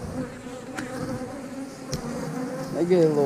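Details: Honey bees droning steadily over an open eight-frame hive as the colony grows feisty at the start of an inspection. Two sharp taps cut in, and a rising whine appears at the end.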